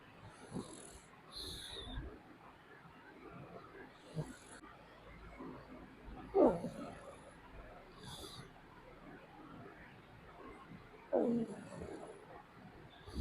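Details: A sleeping dog snoring softly, with rough, breathy snorts and snuffles coming at uneven intervals every few seconds, two louder rasping snores standing out; quiet room background.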